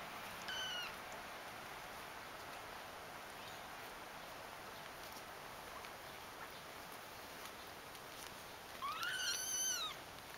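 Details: Young kittens from one litter: a single high mew near the start, then a long near-silent gap with faint hiss, and a louder arching cry, slightly doubled, near the end.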